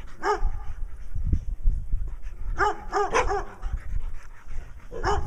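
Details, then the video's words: Barks from Brown Dog, a pet in Wadena, Minnesota, seeking attention with a second dog, Stella, nearby. Single and clustered barks, each with a short downward bend, are spaced by pauses over low rustling and thumping. "Stella the Dog with Black Eye Patches acting nutty while Brown Dog barks in Wadena Minnesota"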